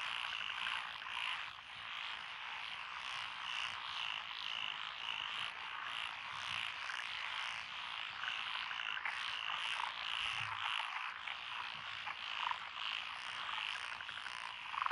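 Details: Frogs calling in lotus rice paddies along a country road in Echizen, Fukui, Japan, 12 June 2021: a dense, continuous chorus of rapid pulsed croaks fills the upper-middle range, with a high hiss of insects above.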